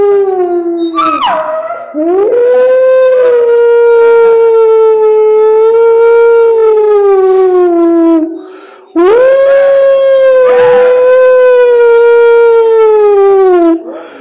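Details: A hound dog in the wolf-rich mountains and forests of Transylvania, howling at wolves: a short rough yelp, then two long drawn-out howls that swell, hold a steady pitch for several seconds, then slide lower.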